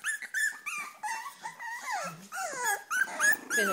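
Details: Cavalier King Charles Spaniels, several females worked up and eager for food; loud, continuous whining with rising and falling tonal whimpers, some sweeping sharply downward, overlapping in quick succession.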